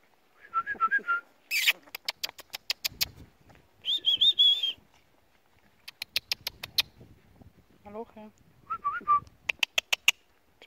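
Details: Two 3-week-old Weimaraner short-haired puppies give thin, high, wavering whines and squeaks between sharp tapping clicks.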